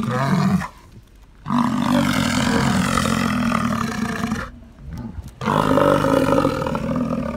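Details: Bull American bison in the rut, making deep guttural sounds to attract females: three long, loud, low roars. The first is brief, and two more last about three seconds each, separated by short quiet gaps.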